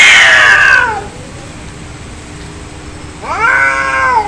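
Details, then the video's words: Two angry cats in a real fight, heard as a falling harmonic yowl that fades out, a long near-silent pause, then a new rising, wavering caterwaul held to the end. "Angry Cat Fight Cats Sound Effect Real fight Of cats Audio"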